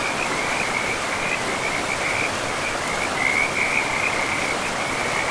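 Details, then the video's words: Frogs along a pristine forest river keep up an unbroken, high, rapidly pulsed trilling that swells slightly toward the end, set against the steady roar of running water. "River and Frogs sleep sounds"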